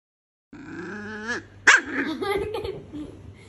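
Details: Two-month-old toy poodle puppy Brownie, hurt when a door pinched her nail on 3 July 2021, gives a long steady whine that breaks into a sudden sharp yelp, then trails off in softer, wobbling whimpers.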